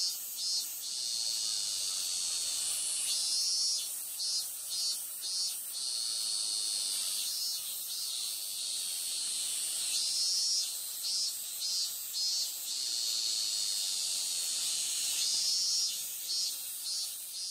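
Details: A robust cicada (minmin-zemi) at a Konpira shrine in Moroyama, Japan, on 12 August 2020, sings a loud, high, pulsing buzz that swells and fades in repeated phrases.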